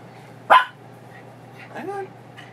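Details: Female Chihuahua mix foster dog, worked up before a walk and tangled in her leash indoors: one loud sharp bark followed by a short rising whine and a faint yip.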